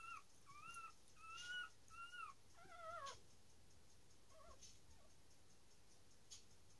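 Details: Newborn dachshund puppies being born, giving thin squeaky whimpers in a quick run of arched notes for about three seconds, then fading to a couple of faint squeaks amid low hiss and small handling clicks.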